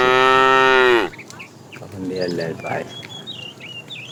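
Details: Afternoon herding of tame cows; a fat cow calls the female with one strong, even moo lasting about a second, which stops abruptly, leaving scattered bird chirps and quiet background.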